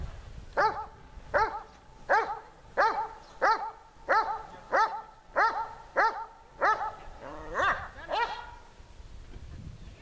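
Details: Tashik the dog, filmed during dog training in the Horlivka heat on 26 July 2020, barks steadily, about one sharp harmonic bark every three-quarters of a second, a dozen in a row, the last few louder before stopping.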